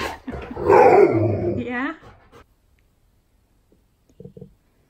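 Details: Siberian Husky named K'eyush, indoors on his birthday and surprised by a best friend, gives a loud, drawn-out wavering vocal with a wobbling pitch lasting over a second, then falls quiet; faint human voice at the start.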